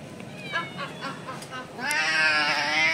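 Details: Hungry kittens, adopted Indian street cats, crying for their mother cat: faint short tonal calls, then one long, loud, sustained, harmonic-rich meowing cry that holds steady through the final second.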